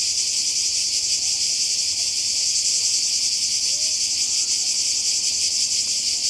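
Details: Cicadas by the sea in Croatia during a 2020 holiday, a dense unbroken high buzz with a fast rhythmic throb, steady in loudness throughout, with a few faint chirps of a small bird underneath.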